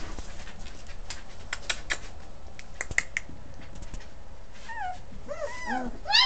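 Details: Basset Hound puppies: a run of sharp tapping clatter first, then from about the fifth second high arching whimpers and squeals, several overlapping and growing louder toward the end.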